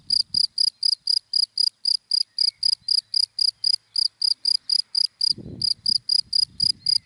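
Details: A cricket chirps from dry grass in daylight, high clipped pulses repeated rapidly with one short gap, and a brief low noise near the end.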